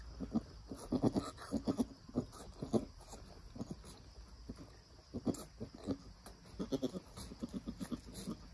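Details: Nigerian Dwarf mother goat and newborn doeling kid around birth and first nursing: clusters of short, low, pulsed bleats and grunts coming in rapid runs with brief pauses, fairly quiet against steady background noise.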